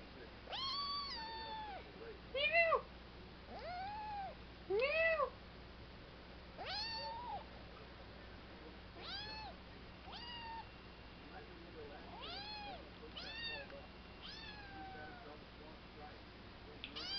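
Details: Milo, a three-month-old kitten, meowing repeatedly: arched, harmonic-rich meows rising then falling, some short and some drawn out, coming every second or two, with a faint steady hum beneath.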